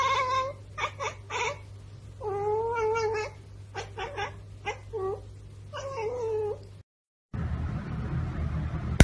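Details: House cat repeating short, nasal meows in quick bursts, some single and some drawn out with a rising-falling shape, several seconds of this before a brief silence and a burst of low rumbling noise.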